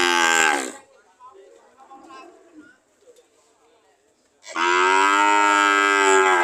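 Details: Cows at a market, ready to leave, mooing: a loud harmonic-rich moo at the start, a quiet stretch of faint distant lowing, then another long, steady, loud moo.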